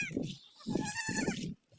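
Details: Goat bleating: three short wavering, nasal bleats in quick succession over about a second and a half, with some high-pitched music in the background.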